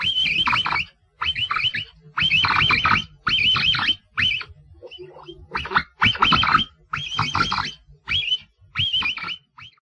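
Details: Capybara calling in a run of about nine clipped bursts of quavering, high-pitched whistles over ten seconds, each burst wavering in pitch, with a short quieter gap midway and faint low noise beneath.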